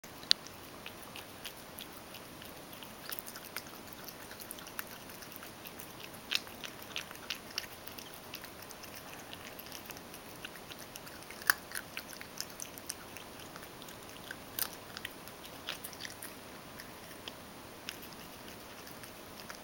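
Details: Mojio, a Ragdoll cat, eagerly eats dry kibble that was crushed in a mill mixer and softened with hot water. Soft, scattered crunching clicks come at irregular intervals over a quiet, steady background hiss.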